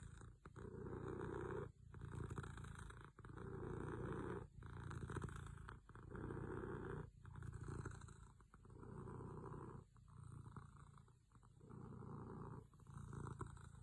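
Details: Domestic cat asleep and snoring: a deep, rumbling, purr-like drone rises and falls with each breath. About ten breath cycles are separated by short quiet gaps, one roughly every one and a half seconds.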